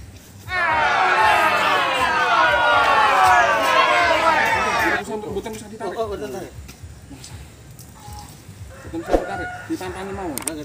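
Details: Cow being helped through calving: a loud, drawn-out bellow lasting about four and a half seconds, slightly falling in pitch, then people speaking softly with handling noises.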